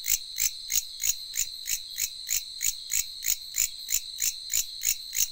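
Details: A bush cricket calls late at night with loud, scratchy, high-pitched rasps, about three a second in a steady rhythm, over a thin continuous insect whine.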